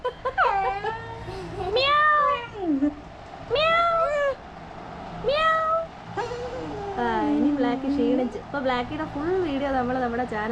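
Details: A black dachshund about one year old answers its owner's meowing with drawn-out, arching, cat-like cries, and a person's voice mimics meows in between.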